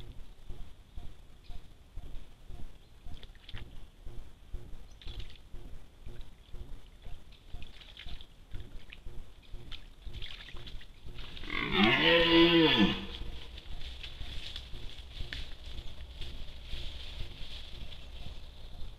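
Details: A red deer caught on a trail camera during the rut gives a single harmonic rutting roar, rising then falling over about a second, over steady dripping.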